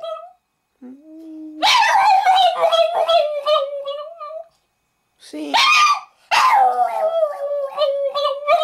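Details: Boston Terrier singing when asked by its owner, a long wavering howl that swells into dramatic yowls, breaks off, then resumes, after a person's brief spoken prompt.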